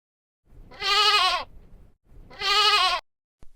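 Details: Goat bleating twice: two wavering, nasal, quavering bleats, each about half a second long and about a second apart, rich in high harmonics, over a quiet background.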